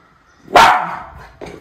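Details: Miniature Schnauzer Levi, on watch for crows in Aroostook County, Maine, 27 August 2021, gives one sharp, loud bark that trails off. A softer second sound follows a moment later.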